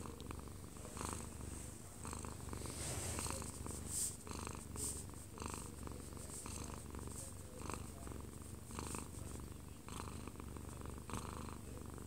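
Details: One-year-two-month-old odd-eyed Munchkin cat named 꼬부기, purring while falling asleep in a man's arms, recorded close up indoors; a steady low rumbling purr with rhythmic breathing pulses and faint television sound in the background.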